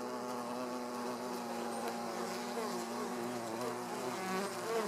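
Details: Hornet eating a bee at a beehive entrance: a steady, droning buzz with layered humming tones that waver slightly, continuous throughout, with faint clicks and ticks above.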